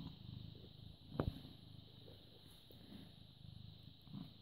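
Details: Low, continuous purring from a British Shorthair cat recorded on 14 May 2017 at 09:16, the animal born 18 August 2010; a soft rumble in gentle pulses, broken by a brief click just after one second.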